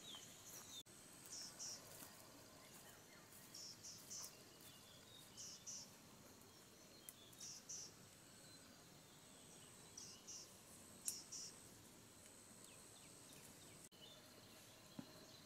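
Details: In the desert near a camping shelter, cicadas sound as a high shimmering drone broken by repeated short rasping bursts about every second or two, with a sharp clack now and then.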